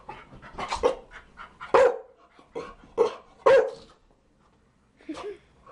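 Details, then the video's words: Chow Chow dog giving a run of loud barks at irregular intervals, with softer huffing and panting-like sounds between them and a final quieter bark after a pause. "Chow Chow barking"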